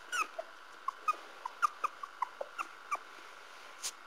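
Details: Tiny, brief squeaks from Parson Russell Terrier puppies come in a loose series, roughly one every third of a second, each a short chirp-like peep over a quiet steady background hum.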